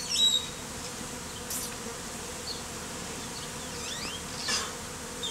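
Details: Mass of mostly Africanized honey bees, hived out of a statue and worn as a bee beard on a man's face in the heat; a steady dense humming drone with a low tonal band, faint high chirps above.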